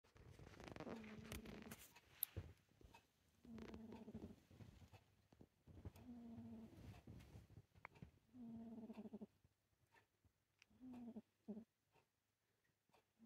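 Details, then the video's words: Pet cat snoring in a deep sleep, a rough breathy rumble repeated about every two and a half seconds, each breath a buzzy low drone with stacked harmonics, quieter toward the end. "Snoring Kitty In A Deep Sleep"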